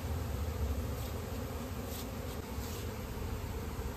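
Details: Many honey bees droning together during village honey collection in India, a thick, continuous low buzz that swells slightly at the start, with light rustling above it.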